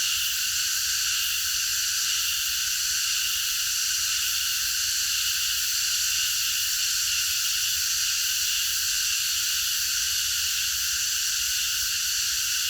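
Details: Massed cicadas calling at night in a park, an even, shrill electric buzz sustained without pause, faintly wavering in intensity.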